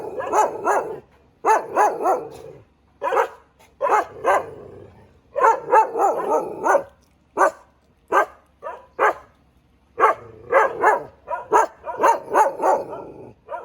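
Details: Thai Ridgeback dog barking in loud bursts of three to five sharp barks, separated by short silent pauses, repeated throughout with no other sounds.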